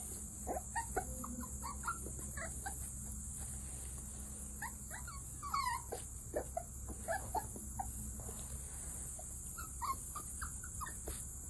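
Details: Coton de Tulear puppies at a breeder's, giving short high whimpers and squeaky yips scattered through the clip over a constant high electrical whine and low background hum.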